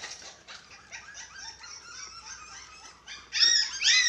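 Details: Six-week-old dachshund puppies at eating time, indoors alongside a white Japanese Spitz; soft, high, overlapping whines throughout, rising into louder, sharper squeals near the end.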